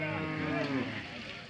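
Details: Hallikar cattle at the Sunday Jodugatte cattle fair, Turuvekere taluk, Tumkur district, Karnataka: a short low moo with a steady droning tone over crowd murmur and nearby voices.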